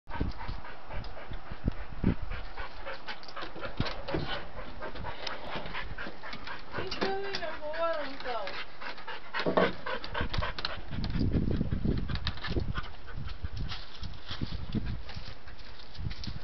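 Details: Dante, a pet dog unable to reach his toy, pants in quick breathy bursts while a person talks and urges him on; a short higher whining tone rises midway, with shuffling noises throughout.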